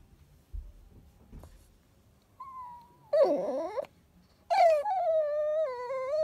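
A Chihuahua whines and yodels in rising and falling, talk-like tones, asking for its ball.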